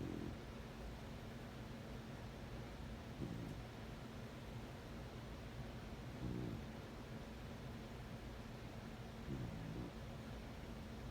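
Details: Corgi asleep, giving short, rough, low-pitched snores roughly every three seconds, four in all, against a constant soft indoor hum.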